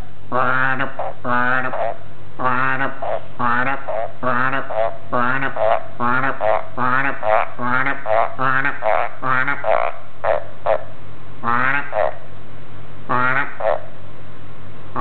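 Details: Elvis, a pet male green tree frog, calls indoors beside a computer after feeding; a rapid series of harsh, buzzy croaks with stacked harmonics, pulsing in bursts of roughly two or three per second over a steady low hum.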